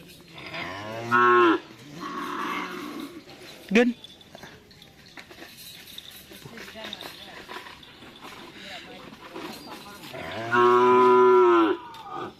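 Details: Cattle at a karapan sapi bull-racing training session on the Asemanis field in Menjep, Madura, during a team anniversary: two loud, drawn-out harmonic moos about nine seconds apart, with murmuring voices and background noise in between.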